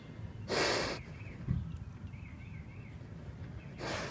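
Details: Basset Hound snorting: two loud, breathy broadband snorts, one near the start lasting about half a second and another at the end, with faint warbling birdsong and a low outdoor rumble between them.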